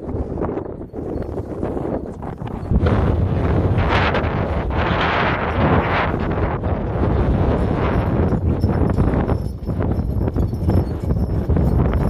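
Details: Registered Friesian sport horse being driven; a quick stream of low, dull hoofbeats under heavy buffeting wind noise, with soft clinking overhead.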